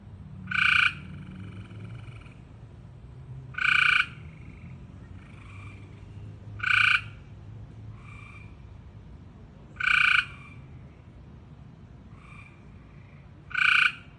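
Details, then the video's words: Frog giving loud, nasal, bleating calls about every three seconds, each with a short quieter note between, over a low background hum. "Frog is making all these weird noises"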